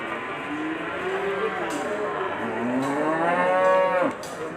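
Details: Large bull at the Ambarketawang cattle market in Sleman, offered for sacrifice. It gives a long, drawn-out moo that bends down and then swells upward into a loud, strongly harmonic bellow. Faint market clatter is heard behind it.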